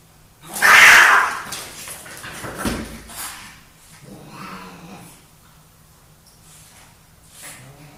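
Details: Two male pet cats fighting for dominance indoors: one loud, harsh, broadband yowl of about half a second near the start, followed by softer rasping bursts and quieter breathy sounds spaced over several seconds.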